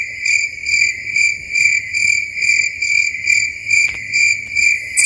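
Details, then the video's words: Night-time crickets in a dark forest keep up a bright, shrill trill that rises and falls in steady pulses about twice a second, with a single soft click near the end. "Incredible Cricket sounds at night"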